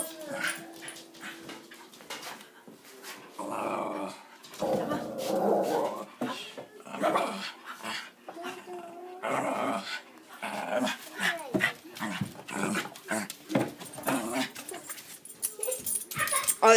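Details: Excited West Highland White Terrier, said to be saying 'uba', making long rumbling, moaning, talk-like grumbles with rising and falling tone, in uneven bursts, with a person's excited voice in between.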